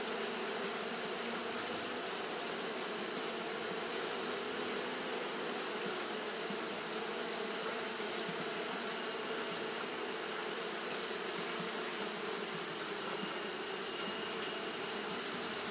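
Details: Japanese honey bees fan continuously because the day is hot. A thick, level hum holds for the whole recording, and a persistent high-pitched hiss sits above it.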